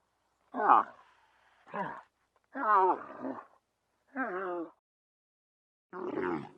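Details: Five short, hoarse, moaning calls from a camel, each under a second, spaced irregularly with quiet gaps between them.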